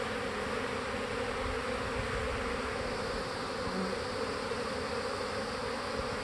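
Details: Honey bees around a hive practicing swarming, making a dense continuous buzzing hum at even loudness throughout, with a steady drone band and no other clear sounds.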